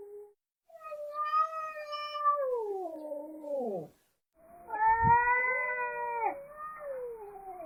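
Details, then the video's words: Cats chatting: two long drawn-out caterwauling meows, the first bending downward into a falling moan, the second steady and then dropping, with a soft thump between them. "Animal Cats chatting"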